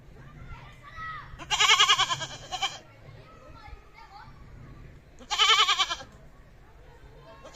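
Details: A goat gives two long, quavering, nasal bleats several seconds apart, with soft background chatter and faint voices in the gaps.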